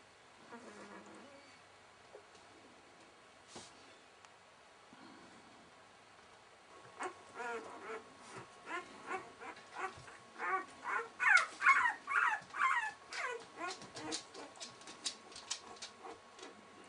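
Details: Six-day-old Welsh Springer Spaniel puppies with their mother Fly. After a quiet start, a run of high, squeaky whines and yelps builds from about seven seconds. They come several times a second, grow louder midway and then ease off.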